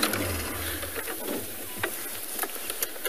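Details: A vehicle engine idles with a low rumble and scattered clicks, and no animal calls.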